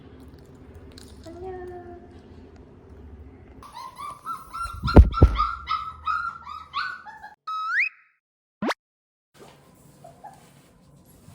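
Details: Two-month-old puppy whimpering indoors: after a low hum, a run of high, whiny, wavering cries with short yips clusters mid-clip, followed by a steady tone and a sharp sweeping electronic swish, then quiet room noise.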